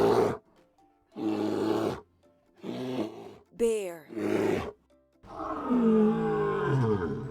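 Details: Lion roaring: a drawn-out, rough, harmonic roar that slides downward near the end, preceded by several short voiced bursts. Spoken words and soft background music are also present.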